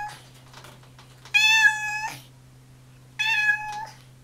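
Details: Ginger tabby pet cat indoors giving two bright, drawn-out meows, the first longer and slightly falling at the end, with a quiet pause between them and a faint background hum.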